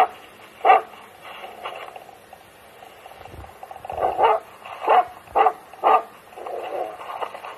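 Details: Finnish Hound in Gävleborg, Sweden, chasing a wolf while out on a fox hunt on a Friday; scattered barks, one early and several clustered toward the end, over faint background noise and a low rumble.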